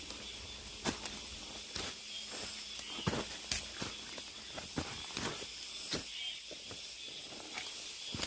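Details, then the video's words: Deep in a mountain forest, cicadas keep up an unbroken high-pitched buzzing hiss while footsteps crunch roughly every second on a hike. "깊은 산속의 매미소리"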